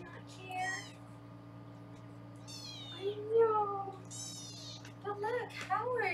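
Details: Foster kittens in a Los Angeles kitten room, caught on a live kitten cam while being weighed, give several high, harmonic-rich meows, some rising then falling, over a steady indoor hum with a person talking.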